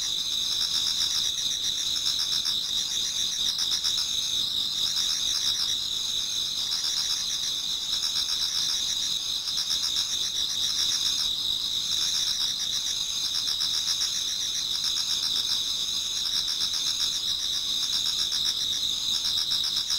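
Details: Insects singing together in a Japanese garden on an autumn night towards dawn: a constant shrill ringing layered with pulsing trills at roughly four beats per second, many overlapping callers, no other sounds.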